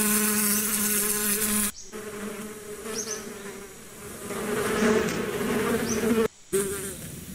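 Bees give a steady, low buzz rich in overtones that drones on with slight swells in loudness.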